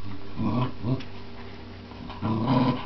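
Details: Scottie dog and Jack Russell terrier growling during a tug of war game; two short low rumbling growl bursts, a pause, then another sustained growl.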